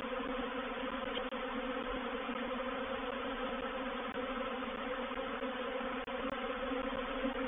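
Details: Reproductive swarm of honey bees moving into a bait hive, or swarm trap, at Painted Peacock Manor on 04/07/21; a dense, steady, loud droning hum with layered low tones, unbroken except for two brief dips.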